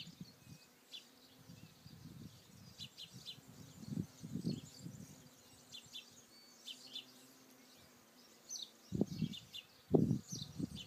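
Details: Bees among flowers on Alicudi in the Aeolian Islands, Sicily: low droning buzzes swell and fade as insects pass close, loudest near four seconds and again around nine to ten seconds, with faint high bird chirps above a quiet background.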